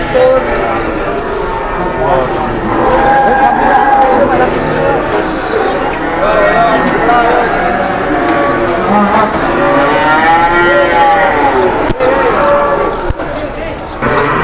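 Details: Cattle gathered at a crowded Indonesian livestock market on a morning after rain, several drawn-out lowing moos rising and falling amid constant chatter of many people and a few sharp knocks.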